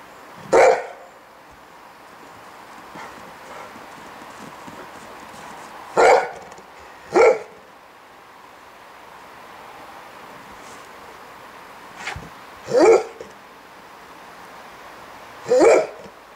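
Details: Golden Retriever barking while playing with snowballs: single sharp barks spaced irregularly, about six over sixteen seconds, with quiet background between.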